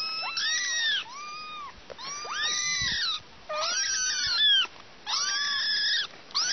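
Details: Kittens with their mother cat, giving insistent, high-pitched meows repeated roughly every second, each arched and slightly strained, in a steady series of five calls.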